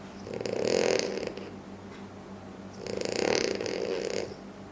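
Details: Loud snoring from a sleeping French Bulldog, two long rattling, buzzy breaths about two and a half seconds apart, each swelling then fading, with a quiet low hum between them.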